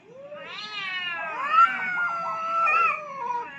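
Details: Two aggressive cats fighting for dominance on a rooftop: a drawn-out, wavering yowl with rich harmonics, rising then sliding slowly downward, overlapping wails swelling near the end, no other clear sounds.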